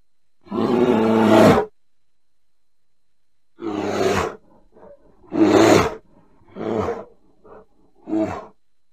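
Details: Bear roaring in five loud, raspy, deep bursts. The first lasts about a second, and four shorter roars follow near the middle and end, with soft grunts and huffs between them.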